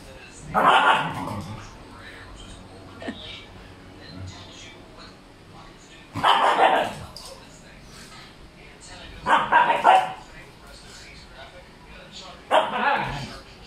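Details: Male Siberian Husky, made noisy by a female in heat, lets out four loud, harsh, broadband barks spaced about three seconds apart, with quieter rustling and human voices between them.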